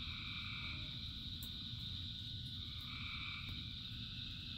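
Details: Frogs calling in the rain, part of a chorus of thousands: a steady high ringing drone with longer, softer two-toned calls drifting in and out, over a constant low rumble of rainfall.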